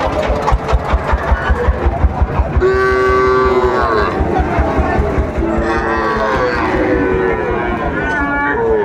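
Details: At Ambari haat in Dinajpur, Bangladesh, on 11 March 2024, a Sahiwal bull calf gives one clear, level moo of about a second. Rhythmic engine-like thumping comes before it, with voices and market hubbub throughout.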